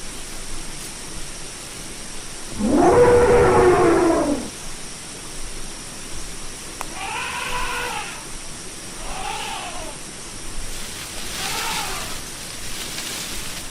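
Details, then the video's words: Elephant call: one loud, harsh, rough blast lasting about a second and a half, followed by three shorter, fainter arched trumpets. Steady background hiss throughout. "SOM DE ELEFANTE: O Barulho Real do Maior Animal Terrestre do Mundo"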